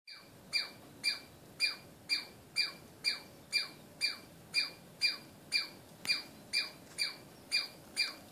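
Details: Angry squirrel calling: sharp, high chirping squawks, each with a quick downward-sliding tail, repeated steadily about twice a second for the whole stretch, with a faint background hiss.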